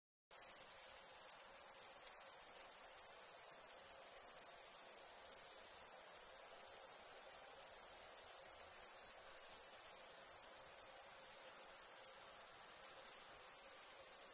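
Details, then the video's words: Crickets chirping at nighttime: a dense, high-pitched continuous trill that runs almost unbroken, with a few brief gaps of near silence scattered through. "Relaxing Chirping Crickets"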